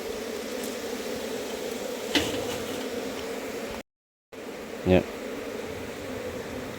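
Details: Dense colony of wild honey bees in a hive box, with a large population, makes a continuous full buzzing hum, broken by a short gap and a couple of knocks from handling.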